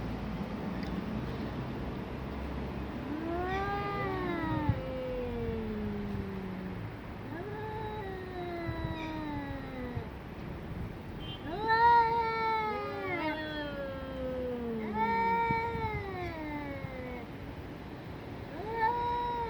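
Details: Fighting between two domestic cats: a series of long, moaning yowls, each rising sharply then sliding slowly down. They come in overlapping bursts, several close together near the end, over quiet background hiss.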